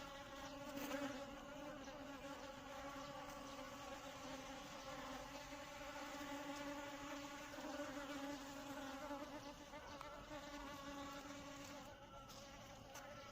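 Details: Asian honey bees (Apis cerana indica) hum in a steady, low droning wing buzz that swells and fades slightly throughout.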